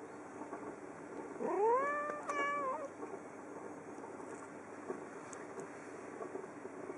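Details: A female pet cat waits at the window for birds at Christmastime and fusses. She gives a drawn-out meow that rises, holds steady, then trails off with a wobble, over a constant low hum.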